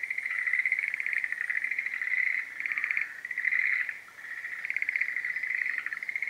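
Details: Schlegel's green tree frog in breeding season, giving a continuous chorus of rapid pulsed trilling croaks in bursts about a second long, nearly unbroken, with brief dips in loudness between phrases.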